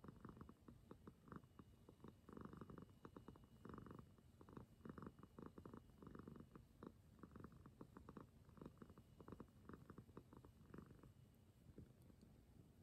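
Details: Former stray cat, taken in for adoption but now a sweet, clingy pet devoted to its mama, purring continuously: deep rhythmic rumbling with pulsing rasps in steady cycles, fading toward the end, indoors.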